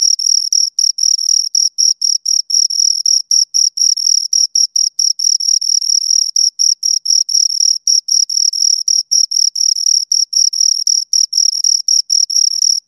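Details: Two crickets chirping continuously: a steady, high-pitched trilling made of rapid pulses, broken by short gaps several times a second, with a fainter higher overtone; no other sounds.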